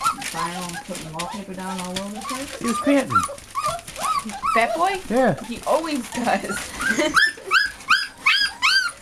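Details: American Bulldog and Siberian Husky puppies, a litter of eight, indoors: a lower drawn-out whine and human voice at first, then quick high yelping whimpers from several pups, growing louder and more rapid toward the end.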